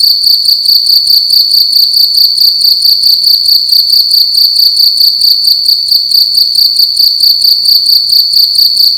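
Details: Nighttime cricket singing loudly within a room: a sustained shrill pulsing trill at a single high pitch, pulses repeating quickly and steadily across the whole stretch, the room otherwise quiet.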